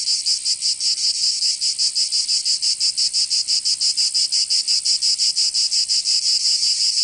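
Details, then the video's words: Provence cicadas in summer, southern France, sing a bright, rasping buzz throbbing in even pulses roughly three per second, steady throughout and free of other noise. "Canto Cigarra 🦗 [ Escuchar les cigarras en verano"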